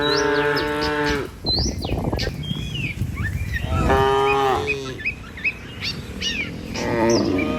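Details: Tame cattle herded in a group across a river bridge toward a village on a morning walk to feeding fields: several deep drawn-out moos, one near the start, another midway, a shorter one at the end, with birds chirping and footsteps.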